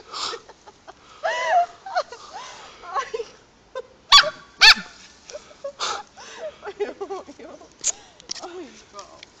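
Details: Halti, a hyper Samoyed on one of his walks, filmed on a Samsung Galaxy S2: rising and falling whining yelps in short bursts, interrupted by a man's voice talking to him and two sharp clicks.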